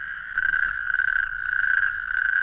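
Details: Natterjack toad calling very close to the microphone, a loud rasping rattle that swells after a quieter start and pulses rapidly, with faint clicks at the end.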